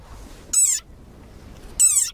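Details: A very angry desert rain frog gives two shrill, toy-like squeaks, each sliding slightly downward, its war cry, sounding like a dog toy.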